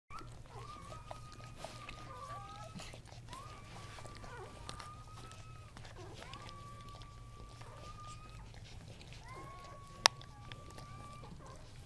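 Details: Newborn Kuvasz puppies, three males born October 30, 2008, give long, thin, level whines, some held steady for over a second with faint upper overtones, spaced through the recording over a steady low hum.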